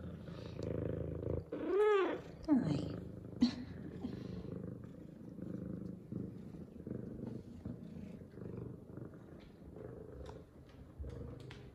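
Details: Happy female F2 Savannah cat Zara after her morning shower gives a clear arched meow, two short chirps, then a long rhythmic purr pulsing steadily for several seconds in a quiet room.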